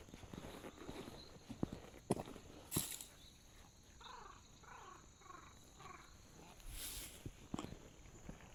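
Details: Abandoned stray kitten crying outdoors, heard during a touring trip: a quick run of five short, thin meows midway, among crunching footsteps and rustling in the undergrowth.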